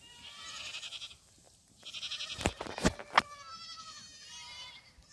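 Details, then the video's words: Black goat kids on a farm in Gimhae, South Korea, racing about; several short, faint bleats with upper overtones, then a few sharp clicks and knocks near the middle, followed by thin wavering bleats. "흑염소 새끼들 질주본능"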